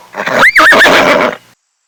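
A horse gives a loud, shrill neigh lasting over a second, its pitch wavering up and down in a quick quavering whinny before cutting off.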